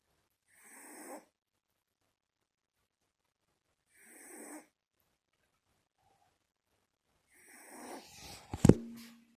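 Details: Sleeping one-month-old Shiba Inu puppy snoring in soft, airy rasps about every three to four seconds, ending with a sharp knock or thump in an otherwise quiet room.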